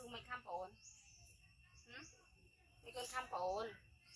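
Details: Young monkey Yoko crying loudly after being bitten by his brother Koko, a hybrid monkey: two bursts of wavering, harmonic wails near the start and the end, with insect chirps in the background.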